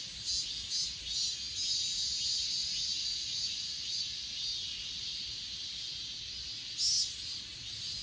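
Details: On Achasan mountain, recorded on an S20 Ultra, grass insects keep up a bright, continuous high trilling chorus with soft pulses, a louder burst of chirping near the end over faint low background hum.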